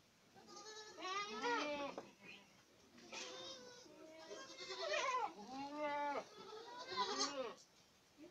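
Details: Boer goats at Acatlán de Osorio, Puebla, giving a series of wavering, harmonic bleats, several overlapping voices rising and falling, each cry lasting under a second and coming in bursts about every one to two seconds.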